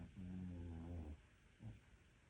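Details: Sleeping Maltese dog with rhinitis giving one long, low, rumbling snore lasting about a second, followed by a shorter snort, then quiet.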